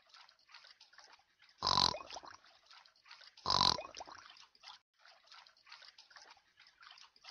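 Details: Pigfish heard underwater: two loud, abrupt broadband grunts roughly two seconds apart, each lasting under half a second, set against a continuous fizzing, crackling background that fills the rest of the recording.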